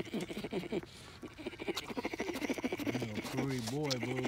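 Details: Baby bear at Dade City's Wild Things sucking his paw while drifting off to sleep; a soft, rapidly pulsing purr-like hum runs throughout, settling in the last second into a steadier low buzzing drone.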